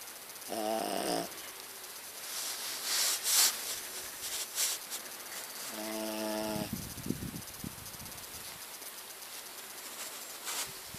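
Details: Sleeping pet dog Muffin giving harsh, droning snores, one near the start and a longer one around six seconds, with scattered clicks and rustling noises in between in a small room.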